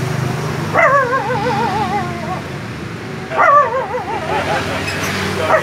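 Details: A dog giving two drawn-out howling whines, each about one and a half seconds long, with a strong wavering tremolo and a slow fall in pitch, over steady low background noise.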